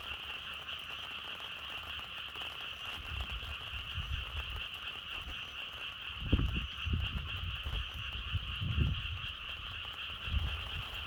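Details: Frogs croaking in a dense, steady chorus, two bright bands of pulsing calls running unbroken throughout, while low gusts of wind rumble in bursts around the middle and end.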